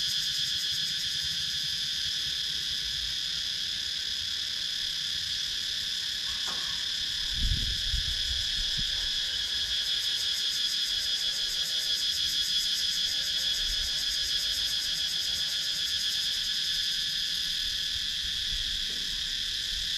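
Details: Cicadas sounding in Thailand's Sakon Nakhon countryside woods, recorded on a GoPro Hero 9. A loud, even, high buzzing drone with fast pulsation continues throughout, with a low thump around seven seconds and faint warbling sounds beneath midway.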